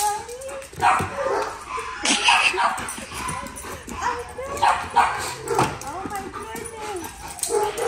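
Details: A chocolate Labrador Retriever greets its owner at a reunion with high, arching whines and short yips repeated in quick bursts, while a woman speaks excitedly over it.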